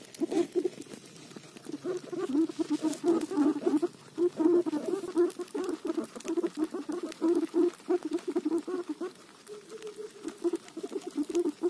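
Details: Guinea pig eating roti, giving low, rapid pulsed chuttering notes in near-continuous runs for most of the stretch, with a short smoother tonal phrase near the end and faint crisp clicks of chewing throughout.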